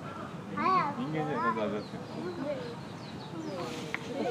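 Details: A chimpanzee at Nogeyama Zoo in June 2024 gives excited, swooping hoots and squeaky calls at snack time as snacks are handed out.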